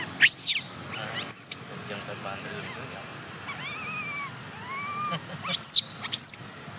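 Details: Wild baby monkey Gabe near Angkor Wat cries as its father embraces and comforts it. Thin, very high arched squeals come in pairs, with wavering whimpered notes in the middle, against quiet outdoor ambience.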